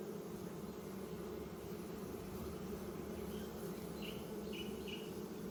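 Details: Honey bee colony in an open hive being inspected and expanded with new wax foundation in spring; dense continuous humming of many bees, with a few brief higher chirps near the end.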